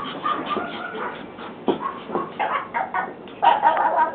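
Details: Pomeranian puppies playing and running in a kitchen, giving a busy mix of short high whines, squeaks and yips overlapping one another, with scuffling and a person's voice at the end.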